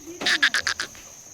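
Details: Goat at a sale where buyers from Malegaon taluka came to purchase goats; a short, quavering bleat broken into five quick pulses over roughly half a second, then falling quiet.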